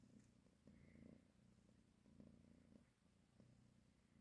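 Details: A mother cat nursing and caressing her kittens purrs low and throaty, each inhale and exhale making a separate vibrating surge, over quiet background hiss.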